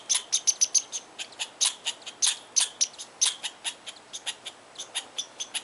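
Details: Squirrel in Tahosa Valley angrily protesting at someone too near its tree: a rapid run of crisp, high clicking barks, some doubled, paced roughly four per second and slowing slightly toward the close, with no other sounds.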